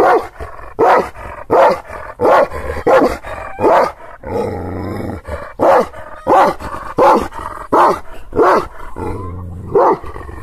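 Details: Kangal shepherd dog from Aksaray, Anatolia, barking angrily at strangers it has not seen before; loud, deep barks repeated roughly every half second in bursts, with a short pause midway filled by a low rumbling engine-like hum.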